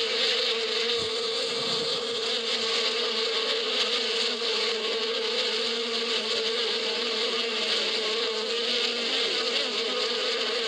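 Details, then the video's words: Many bees humming in spring out in the badia desert country, a continuous full-bodied drone with a bright hissing layer of wingbeats, with one brief low thump near the start, otherwise steady. "اصوات النحل في فصل الربيع"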